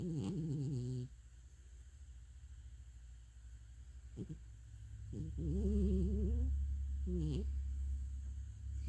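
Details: ['Sleeping cat, dreaming, makes quavering low snores in irregular bursts, one drawn out over about a second, with a soft rumbling hum underneath.']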